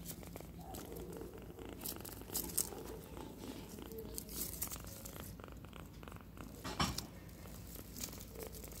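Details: Very small kitten giving a loud, sweet purr, a continuous low rumble with rhythmic pulsing, accompanied by soft rustles and handling noises close by.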